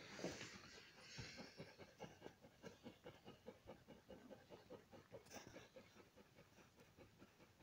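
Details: Newborn Alaskan Malamute puppies, five days old, making rhythmic soft huffing or suckling sounds, about two per second, steady throughout, with a brief hiss partway through.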